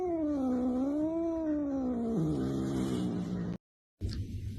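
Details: House cat producing a low, moaning yowl for over three seconds, wavering up and down in pitch and sagging lower toward the end, followed by a brief pause and faint rustling.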